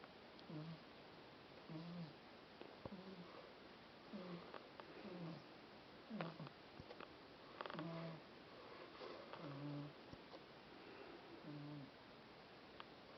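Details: Mashka, a pet cat, snores loudly, stretched out in the sunshine. Low, droning snore breaths repeat steadily every second or so across the whole stretch, mixed with faint scattered ticking noises in a quiet room.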